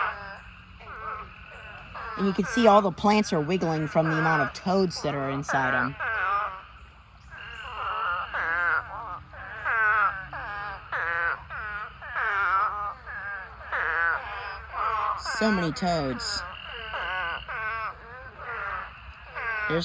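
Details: Thousands of spadefoot toads calling in a pond during a mating swarm; a loud early surge of wailing voices gives way to a steady run of quavering, moan-like calls repeated rapidly and irregularly.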